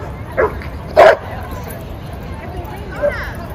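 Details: Dogs at play in a Brooklyn dog park: two sharp barks in the first second and a half, then quieter murmuring and a low steady background hum.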